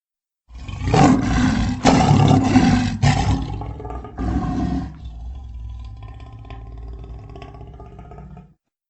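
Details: Lion roar as an edited sound effect: four loud, harsh, rasping bursts in quick succession, then a softer, low, rumbling growl that fades out over several seconds.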